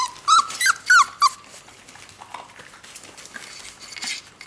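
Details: Four-week-old whippet puppies (Airi, Bertil, Carita, Dina) whine with hunger beside the birth den while their mother Tauranga Iita eats. Four loud, high whines fall in pitch in quick succession, followed by quiet rustling and a faint later whimper.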